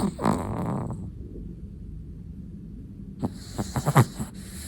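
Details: Sleeping black-and-tan long-coated Chihuahua snoring: a raspy breath at the start, a quiet pause, then a run of short snuffling snorts near the end, in a calm indoor room.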